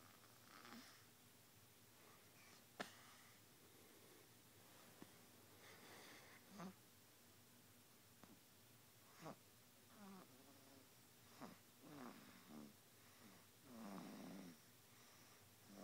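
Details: Canon, a cat, snoring on April 2, 2011, indoors in a small room: soft wheezy breaths repeat every one to two seconds, with a few sharper nasal snorts and sniffs in between over a faint steady background hiss.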